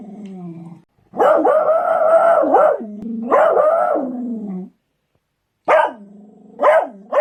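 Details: Beagles barking and baying: long drawn-out howling bays with a strong tonal pitch that wavers and drops at the ends, in bouts of one to two seconds separated by short silences, with a few sharper rising yelps near the end.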